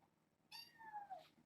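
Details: Kittens in a litter of seven, born June 21 to a stray mother, play indoors with a microfiber towel. One drawn-out meow slides steadily downward, with rich harmonics. Soft human voices are heard around it.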